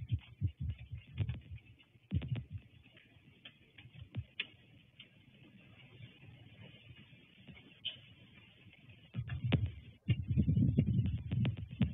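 Low thumps, handling knocks and irregular ticking clicks fill the recording, with no clear animal voice.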